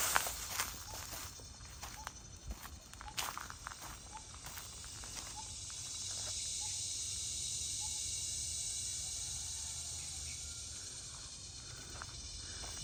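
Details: Cicadas drone loudly in a steady, high-pitched hiss that swells and holds without pause, beside a rice field in Mindanao, Philippines, in the hot sun after a long drought broke with rain.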